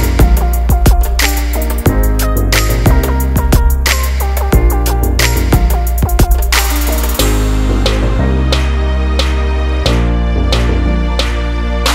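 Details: Loud rhythmic music with drums and piano-like chords throughout, without any kitten or other animal sound.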